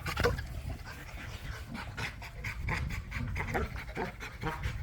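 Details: Playful Pit Bull among a pack of dogs at a private dog park, heavy steady panting in quick rhythmic huffs throughout, a short sharp sound near the start and faint outdoor rumble.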